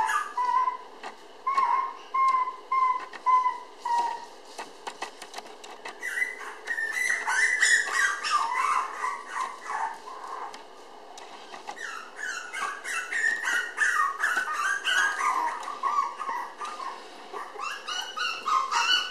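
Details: Red female Toy Poodle puppy born May 20, filmed June 30 weighing 700 g: thin, whistle-like whines held at a steady pitch in short bursts, then denser, wavering squeaky whimpers through the rest of the recording indoors.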